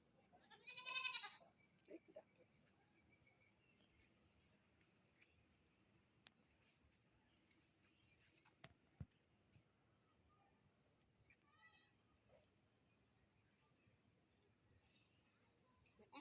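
A goat gives one loud, wavering, nasal bleat, followed by faint quieter sounds.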